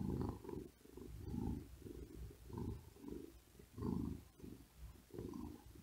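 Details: On a hot day a resting cat lies on a cool wooden desk and purrs: deep, rough, rumbling pulses that follow fast, laboured breaths, roughly four swells in six seconds, with no other sounds.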